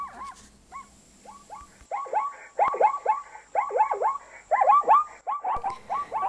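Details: Zebra from Africa calling with repeated barking neighs, starting quietly with a few single yelps, then building into loud clusters of three or four arched, hoarse notes about once a second.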